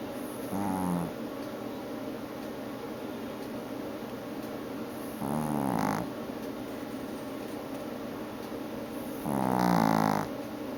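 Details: ['A female Chihuahua asleep during an afternoon nap lets out three rough, buzzing snores, each under a second long, spaced about four to five seconds apart, with a low steady hum in the room.']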